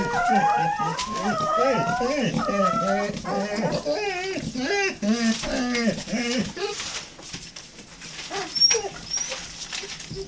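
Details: Golden Retriever puppies, eight of them 18 days old, howling in response to a fire truck siren: a chorus of quavering, yelping howls that thins out into scattered whimpers, with human voices in the background.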